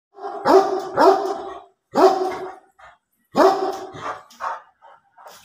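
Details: Great Dane barking: deep, loud, harmonic barks in two close pairs about half a second apart, then a single bark and another pair, with a few softer trailing yips between them.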